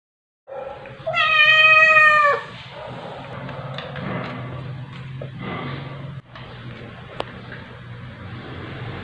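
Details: Calico cat wrestling with her adoptive mother indoors, filmed 9 July 2021 at 2:05 AM on an OPPO A5s phone; one loud, drawn-out harmonic meow lasting over a second, then low shuffling and a steady hum.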